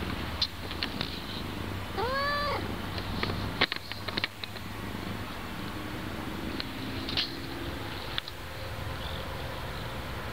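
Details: Domestic cat in old 2012 footage giving one clear, arched meow, rising then falling with rich overtones, followed by scattered clicks, taps and thumps over a steady low hum.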